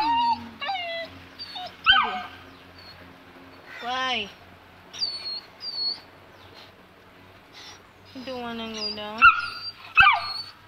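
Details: Saint Bernard puppy aged two months, too afraid to go down stairs, whimpers in long wavering high whines that rise and fall, plus short yelps, while a person coaxes it to come down.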